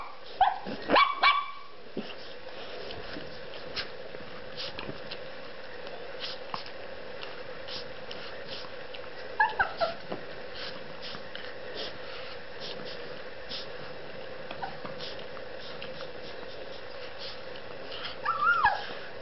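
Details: Sweetie, a pet Shih Tzu, playing indoors: short high yipping barks in brief clusters near the start, around the middle and at the end, with long quiet gaps over a steady low room hum.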